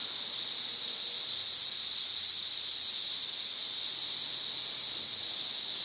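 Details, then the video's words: Cicadas singing loudly from trees on May 31, 2024; their sound is a piercing, even, hissing drone, high-pitched and unbroken, with no rise or fall in loudness. "91+ dB Cicada Singing."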